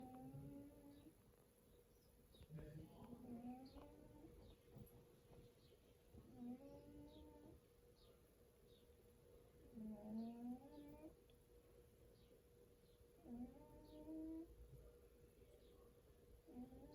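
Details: Sleeping domestic cat, apparently dreaming, snoring loudly indoors: soft, nasal, squeaky tones with a slight upward bend, repeated irregularly about every four seconds over a faint steady hum.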